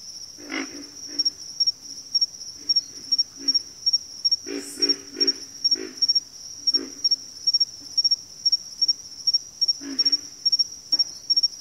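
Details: Frog chorus from backwater: repeated deep grunts, several clustered near the middle, under a constant shrill insect trill that chirps in rapid regular pairs about twice a second.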